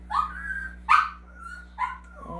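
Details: Two excited female dogs at a home dog-grooming business, one giving three high, drawn-out whining yelps about a second apart, each rising then sliding into a steady tone, with a low steady hum behind.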